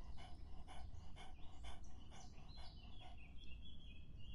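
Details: Dog drinking in hot summer: steady wet lapping strokes, about nine broadband clicks spaced roughly half a second apart, with thin bird whistles entering in the second half.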